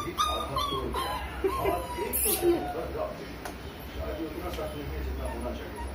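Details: German Shepherd puppy jumping from a bed, giving a string of thin, high whimpers that rise and fall, some drawn out and some clipped, over steady background music.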